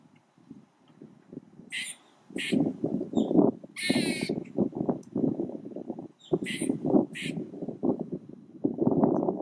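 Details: Squirrel unusually vocal, tail jerking to stress some sounds, starts quietly then breaks into rhythmic rough chuckling pulses, punctuated by a few sharp high squeals and a longer wavering screech.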